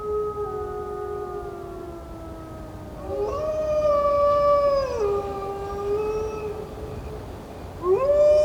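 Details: Wolves howling in a wildlife documentary: overlapping long, smooth tonal howls, one holding low and steady while another rises, plateaus and falls, ending in a fresh sharp rising howl.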